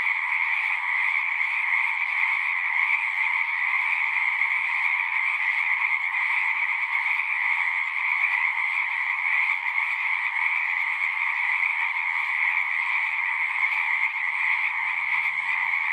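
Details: Chorusing frogs at a horse-pasture pond, Zoom recorder; a thick, continuous, high-pitched trill of many overlapping callers runs evenly throughout, a faint low hum appearing near the end.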